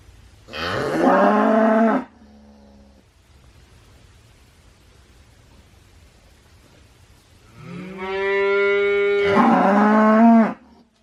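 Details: Two bellowing cow moos, each about one and a half to three seconds long, with a brief softer tail after the first and a stepped, swelling second call, separated by a long quiet stretch.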